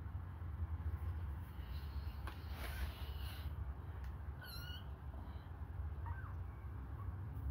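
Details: Hungry kittens suckling a finger: a bright mew with clear overtones rises and falls midway, followed by a softer brief mew, over a constant low hum.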